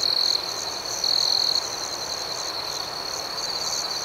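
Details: Nighttime cricket chorus. A continuous shrill trill swells into two louder bursts near the start and again around the one-second mark. Fainter rhythmic chirps pulse above it, over soft ambient hiss.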